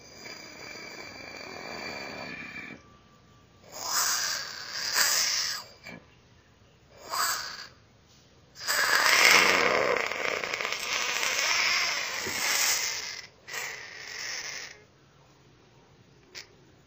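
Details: Angry Pacman frog, slowed down in slow motion, letting out harsh rasping broadband squawks: a burst near four seconds, a short one near seven, then a long grating cry of about four seconds and a final brief burst.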